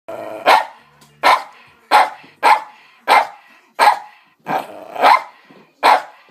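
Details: Pet dog barking while people sit at the table, a repeated habit. Eight sharp, loud barks come at roughly one-second intervals, each a short broadband burst in an indoor room.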